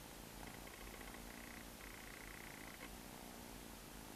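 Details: Purring from a street-dwelling stray cat, a low buzzing rumble that runs unbroken, with a thin sustained higher tone sounding over it for a couple of seconds before stopping.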